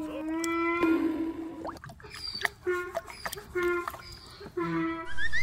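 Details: A donkey brays loudly to be fed, a harsh drawn-out call, followed by a person talking.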